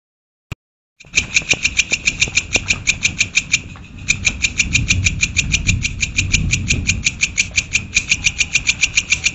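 A cricket gives steady, high, ringing chirps, about five per second with a brief pause, over a low engine-like rumble.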